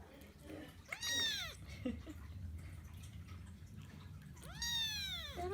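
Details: Kkung, a Persian Chinchilla kitten kept as a pet, lets out two high, bending meows roughly three and a half seconds apart, while a person speaks softly in Korean between the cries.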